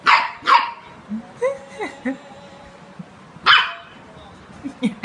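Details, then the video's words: A two-month-old golden retriever puppy barks at his friend in sharp, loud, short bursts, with softer voiced sounds between them. "Golden retriever barking on his friend"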